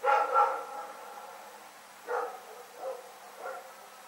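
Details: Rex the dog barks at night on February 27, 2018, two loud quick barks followed by three softer, more distant-sounding barks.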